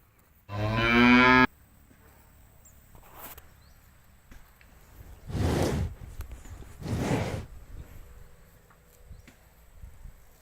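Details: Free-roaming cattle eating grass in an empty rice field: a short loud moo near the start, then a faint low background hum with two broad noisy bursts like snorts, spaced about a second and a half apart.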